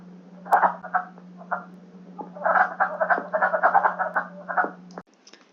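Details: Wood frog (Lithobates sylvaticus) in Michigan gives hoarse, low-pitched clucking croaks in quick bursts: males' spring breeding call to mates, in a short two-to-three-week season from late March to mid-April.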